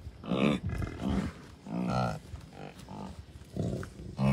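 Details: Bison of a mixed herd with dozens of calves, Commerce City, Colorado, June 2, 2022; a run of short, deep, throaty grunts repeated roughly every half second to second, with faint breeze behind.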